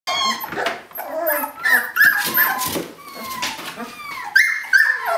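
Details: Several large, rambunctious eighteen-day-old puppies trying to escape a kiddie pool, heard indoors as a crowded chorus of overlapping high whines, squeaks and short yips, steady and busy throughout.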